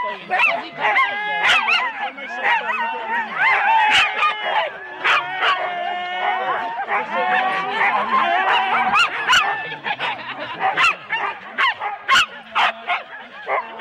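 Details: Huskies harnessed in four-dog teams wait for the start at Rendlesham in January 2016, recorded on analogue cassette. A continuous clamour of overlapping yips, rising whines and quick sharp barks, with people talking faintly.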